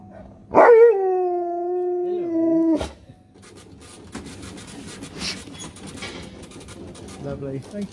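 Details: Sherpa, a UK dog, 'talking' to people: a sharp rising yelp flowing into a level, sustained moan of about two seconds that ends abruptly, then background clatter and indistinct voices.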